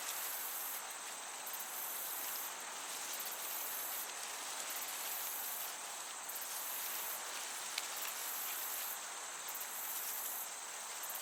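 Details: Summer meadow crickets giving shrill, very high pulsed chirps in regular bursts every couple of seconds, set against a constant soft rush of gentle breeze.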